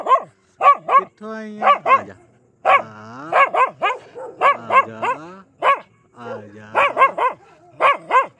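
A Pomeranian barks aggressively in quick, high, sharp bursts, often in pairs, with a human voice nearby.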